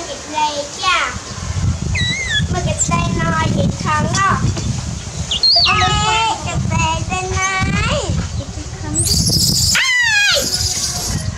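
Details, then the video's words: Baby monkey named Dewdew calling loudly for its mother while she is busy working: a steady run of wavering, harmonic squealing cries, some rising and some falling, over a low background rumble, with a harsh burst near the end. "Shout Out Loudly Baby Dewdew Call For Mom - Mommy Busy Do Work - Dew Cry So Pity"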